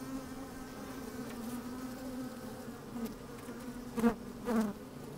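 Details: Honey bees moving about in an open hive on a sunny day produce a low, steady hum, broken near the end by two loud close buzzes as bees pass the microphone placed inside the hive.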